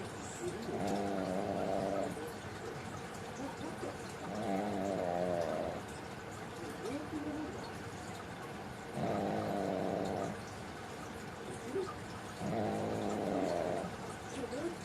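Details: Pug named Mame in deep sleep, snoring in four rasping, buzzy breaths, each about a second long and spaced roughly every three to four seconds, with quiet pauses between them.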